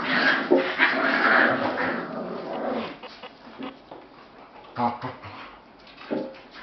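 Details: Australian Shepherd puppies at a daycare, indoors. A dense burst of high whining and squealing, with a few growl-like notes, fills the first three seconds. Scattered short yelps and scuffling handling noises follow.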